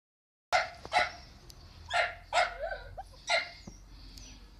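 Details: Miniature dachshunds at a breeding kennel; after a brief silence, five sharp, high yapping barks follow in quick succession over about three seconds, with faint whining between them.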